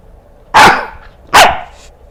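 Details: Pet Corgi barking in reaction to someone coughing: two loud, sharp barks a little under a second apart in a quiet room.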